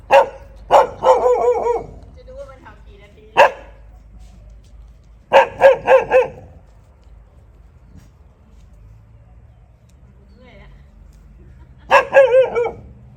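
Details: Dog barking at a friend's house in Thailand in loud clustered bursts of two to four ringing barks, separated by pauses of a few seconds, with faint low background hum.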